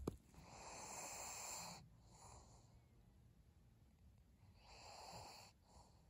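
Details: Pug named Maria, recorded 3 January 2022: raspy, wheezing snorts in two broad breathy bursts, the first lasting nearly two seconds and the second around the five-second mark, with quieter shallow breathing between.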